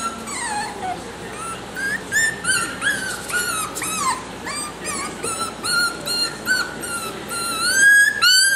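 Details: Male Miniature Schnauzer puppy, salt and pepper coat, affectionate and clingy, gives a run of high, thin whining whimpers, each sliding up then down, repeated quickly and unevenly with brief pauses between.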